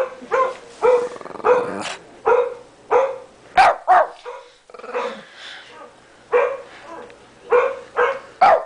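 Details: Indoor Shih Tzu, a 13-pound pet, barking at a computer in a long steady run of short sharp yaps, roughly one to two per second with brief pauses, a softer grumbling stretch midway.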